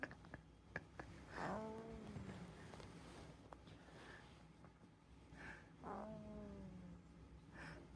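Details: Calico cat snoring indoors: two drawn-out nasal tones that slide downward in pitch, about four and a half seconds apart, with soft breathing and faint room noise between them.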